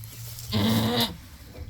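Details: Nanny goat in labour bleating while her kid is being delivered, with a single strained, harmonic bleat of about half a second in the middle and quiet background.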